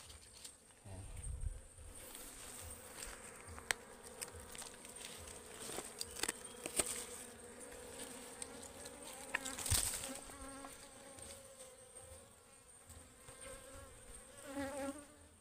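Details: A defensive swarm of wild ligwan honeybees, said to be very aggressive, hums around a forest beehive being harvested. A continuous layered drone rises and falls, with scattered knocks, crackles and handling noise throughout.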